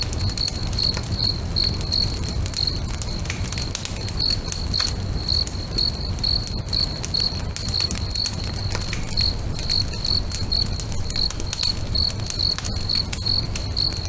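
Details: Crickets singing by a lake at sunset while a bonfire burns: continuous high chirps repeating about twice a second, slightly uneven in spacing, beneath dense crackling and popping of wood and a low rumble.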